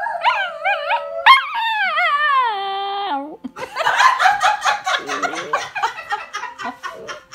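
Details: Two pet dogs, a Sheltie and a Dachshund, howl together: wavering tonal notes, then a long falling wail, followed by rougher overlapping yips and howls.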